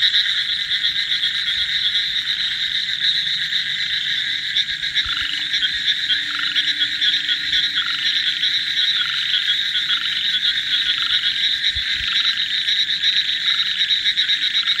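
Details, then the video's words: A dense frog chorus at the arrival of the monsoon season, with many voices overlapping in a steady, high-pitched trilling roar. ""Croaking Symphony: Exploring the Frog Chorus in Monsoon Soundscapes""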